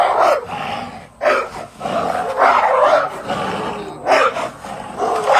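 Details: Dog fighting a snake, giving harsh, noisy barks and growls in bursts, loud and rough with broad energy, pausing briefly around one and four seconds.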